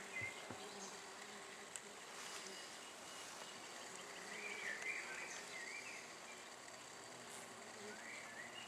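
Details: Calm, happy honey bees during the main spring inspection of a top bar hive: a steady, broad insect hum fills the scene, with faint higher whines passing through and brief human voices nearby.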